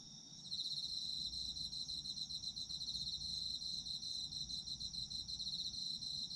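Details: Autumn insects in Japan, recorded for sleep ASMR: after a brief quiet start, shrill pulsing trills break in and carry on steadily, layered high chirps from several insects over soft background hum.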